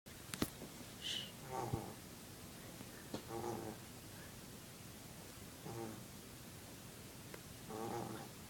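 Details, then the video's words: Dog snoring: soft rasping bursts roughly every two seconds, each a brief breathy rumble, with small clicks and faint background noise between breaths. "Snoring dog?"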